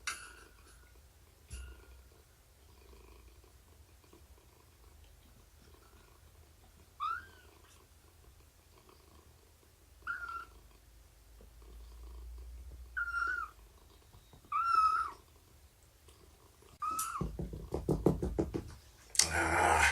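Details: Indoor cat during morning snuggles, nursing and play time, involving Shelby, an estimated two-year-old abandoned mother, and her kittens around three months old. Short, soft mews come every two to three seconds over a quiet background, ending with rustling and handling noise.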